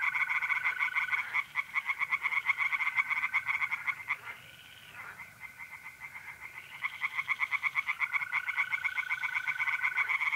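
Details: April night in north-east Italy: tree frogs in a pond give rapid, rattling croak series that briefly fade and then resume, and mole crickets keep up a level, sustained trill.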